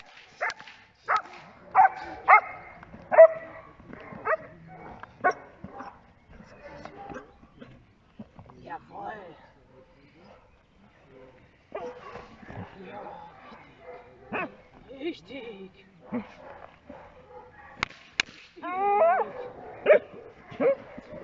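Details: Giant Schnauzer Blackmoore Enchantress during Schutzdienst protection training, giving loud single barks about every second at the start and in a burst near the end, with a stretch of quieter sounds and people's voices in between.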